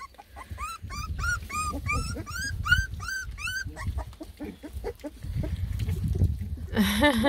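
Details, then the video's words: Lemon and tricolor Beagle puppies from a litter of ten, complaining as they try food for the first time: a string of sharp, arched whimpers repeated quickly for several seconds, then fading into low rumbling background noise. "A lot of COMPLAINING!! Ten BEAGLE PUPPIES give food a try for the first time!"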